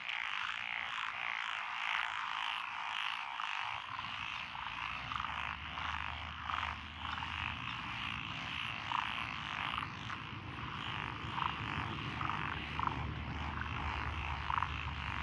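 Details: Frog chorus from lotus rice paddies along a country road in Echizen, Fukui, Japan, recorded June 12, 2021, with Japanese tree frogs, pond frogs, wrinkled frogs and green tree frogs. Dense overlapping rasping pulses, joined by a steady low rumble after four seconds.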